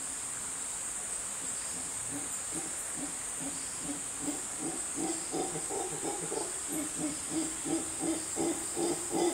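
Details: Howler monkey howling loudly in the jungle of Costa Rica: low, rhythmic grunting pulses that build steadily in strength, set against a constant high, hissing drone of insects.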